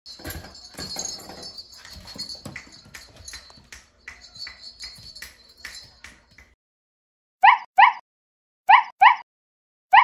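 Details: Ten-week-old Samoyed puppy named Somi during potty training. Soft rustling and shuffling noises come first, then, after a short silence, five brief high squeaky whimpers in quick pairs.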